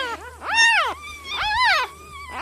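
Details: Misty's newborn puppies cry out: two long, loud, arched whines that swell upward and then slide down, with a shorter squeak at the start and end of the stretch.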